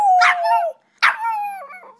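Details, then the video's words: Boston Terrier, a female pet dog, howling indoors in two drawn-out tonal howls, each starting with a harsh attack then holding a steady wavering tone that bends downward at the end; owner praising softly. "Boston Terrier Howling"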